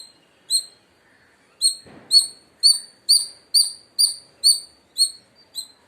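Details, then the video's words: Indian palm squirrel giving loud, sharp, high chirps with a downward flick. A single note opens, then after a short pause a steady series follows, about two per second, in an otherwise quiet setting. "Loud Squirrel Chirping Sounds | Indian Squirrel Sound"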